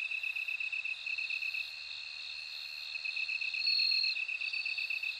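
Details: Singing bell crickets. A quick, throbbing high-pitched pulse train runs steadily, and a clear ringing trill rises above it toward the end.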